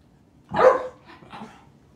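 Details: Pet dog told to speak by its owner, answering with one short, husky bark followed by a softer, fainter second sound.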